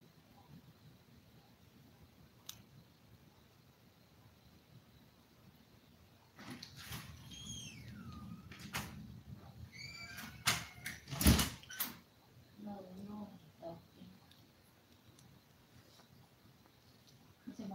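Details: Toy poodle puppies five weeks old, one litter of seven kept indoors. High whimpers slide downward in the middle, then short squeaky yips follow, broken by sharp knocks and clatter.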